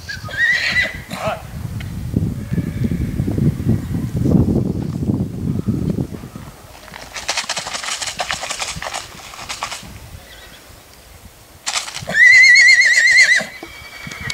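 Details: Six-month-old black purebred Lusitano filly at a stud farm. Shuffling, low rumbling and bursts of broadband noise come first, then a single loud, quavering whinny rings out for about a second near the end.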